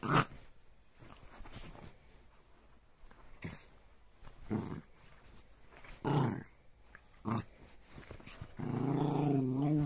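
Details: Jack Russell terrier growling indoors in a small room, low rumbling bursts spaced irregularly a few seconds apart, ending in a longer sustained growl; a person's voice heard briefly.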